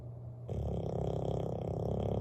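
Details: Bailey, a Bulldog, snores while sleeping by the fireplace indoors: a quiet start, then a sudden deep, rough rumble that holds steady with a fine, rapid flutter.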